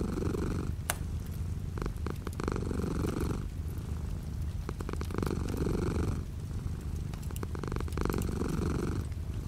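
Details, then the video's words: A purring cat beside a window with light rain outside; low, even vibrating purr surging in longer inhale and exhale phases roughly every two to three seconds, punctuated by bright clicking drips. "The sound of a cat purring with light rain outside the window."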